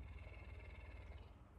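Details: Messi, a pet puma, is especially affectionate on this morning while licking and being invited closer. A loud, even, deep rumbling purr pulses continuously through the short stretch, with a faint higher hum above it.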